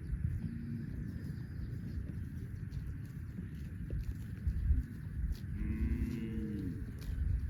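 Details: Farm cows among dozens running in green grassy rice fields; after several seconds of low rumbling outdoor noise, a single short, wavering moo rises near the end, with faint lowing earlier.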